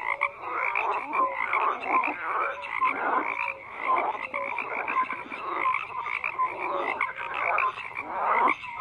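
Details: Frogs in a dense croaking chorus, many overlapping rasping calls with short tonal notes scattered throughout, steady and continuous without pauses, no other sounds standing out.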